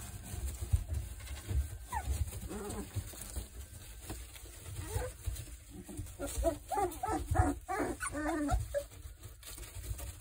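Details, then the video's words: Three-week-old Boerboel puppies from the Kodak and Rhianna litter make low, wavering harmonic whines and grunts in short bursts, clustering in the second half. Soft bumping and rustling run underneath. "3 week old Boerboel pups"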